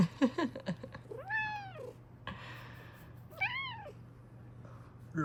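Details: Female Bengal cat meowing indoors: two arched, drawn-out meows rising then falling, mixed with a person's speech and laughter at the start and a low background hum.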